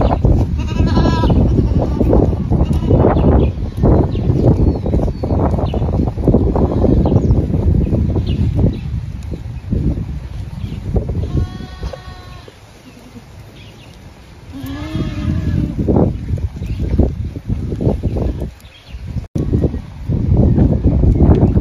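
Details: Kalahari Red goats of South African origin, kids, giving a few harmonic, wavering bleats near the start and again around the middle, over constant heavy low rumbling wind or handling noise.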